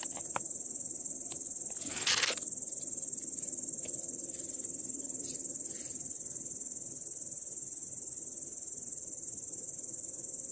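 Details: Grasshopper sitting in grass, recorded on 18 August 2017: a steady, very high-pitched hissing trill pulsing about four times per second throughout, with a brief louder rustling noise near the start.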